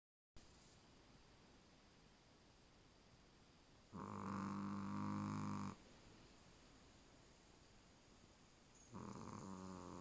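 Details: A sleeping Chihuahua named Charlie snores indoors: a long harmonic snore of about two seconds with a strong low buzz, then quiet breathing, and a second snore beginning near the end.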